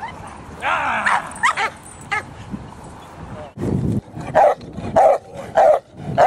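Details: Dogs at a protection training academy (Cane Corso, Presa Canario, Pitbull) give sharp barks, a rapid burst near the end spaced about half a second apart, after a man's shouted commands and praise.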